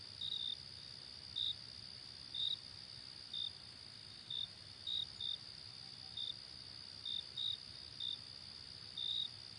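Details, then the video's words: Night-time cricket chorus, a constant shrill high-pitched drone with clipped chirps on top at irregular intervals, often doubled, roughly one per second, and a soft low rumble beneath. "Crickets Chirping Sounds"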